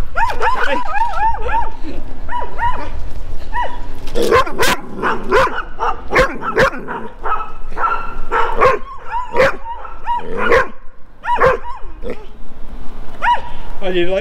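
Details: Four large Rough Collies chase after a person and bark: a dense run of loud, repeated arched barks with yips, several dogs overlapping almost continuously, with sharp clicks and thumps mixed in.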